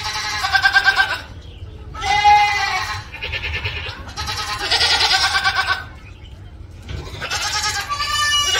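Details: Loud goat screams come in rapid succession, raspy and wavering with strong tremolo, about five yells separated by brief near-silent breaks.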